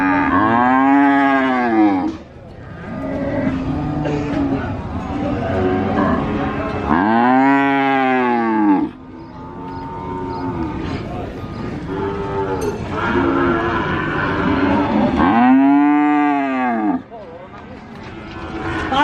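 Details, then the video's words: Cattle at the Sokaraja cattle market, Purwokerto, Banyumas: three loud arching moos, about seven seconds apart, each rising then falling, with softer lowing from other cattle and background chatter between them. "SUARA SAPI ASLI BUNYI SAPI ASLI COW SOUND EFFECT CATTLE SOUND VOICE SUARA SAPI SERAM BESAR"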